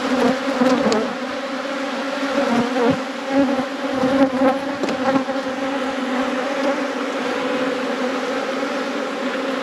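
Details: Honey bees in a managed apiary during a hive inspection: a dense, unbroken droning hum with a low steady tone and faint overtones, its loudness swelling and dipping slightly, with a few soft knocks throughout.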